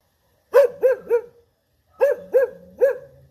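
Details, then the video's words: English Cocker Spaniel barking in two quick bursts of three sharp, ringing woofs each, separated by a short silence, the last bark trailing into a brief whine; otherwise quiet. "English Spaniel Cocker Barking"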